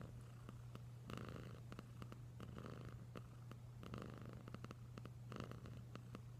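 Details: Deep, even purr of the pet cat Wylla Stout, overlaid by rhythmic breathy bursts and quick clicking sounds at irregular intervals.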